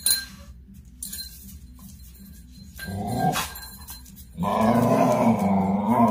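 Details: During playtime the pet dog GB lets out a low, grumbling growl that swells loud in the last two seconds, following quieter rustling and scattered knocks in a small room; captured on a phone.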